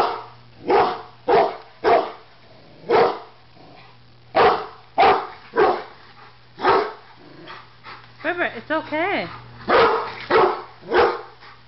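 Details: Rottweiler barks in deep, gruff bursts at a BBQ grill it seems to think will attack it, a Doberman watching, with a few whining, wavering yelps near the end; owner reassures it's just a grill.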